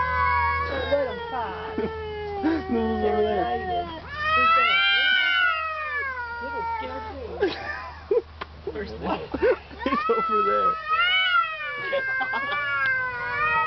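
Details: Two cats, a male and a neighbour's cat, talking outdoors, one screaming louder when displeased: overlapping wavering meows and yowls, rising and falling, mixed with a person's speech and low background hum.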